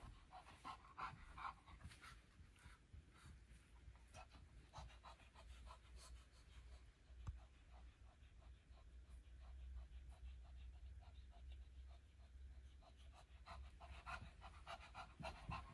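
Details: Shih Tzu Lacey, a bit slower these days, gets her morning exercise wandering around carpeted rooms upstairs; rapid rhythmic panting runs throughout, with a woman's voice talking to her between the breaths.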